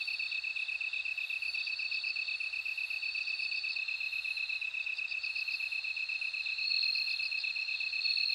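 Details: Bell cricket singing in repeated short, ringing bursts, some broken into quick stuttered notes, over a continuous fast-pulsed insect chorus.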